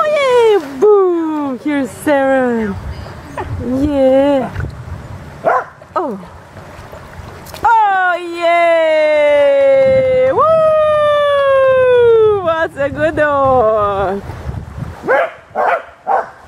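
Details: Anxious puppy, reluctant to jump into water, produces a run of wavering whimpers and then a long, drawn-out whine sustained for several seconds. Short rising yips close the sequence, with human voices around it.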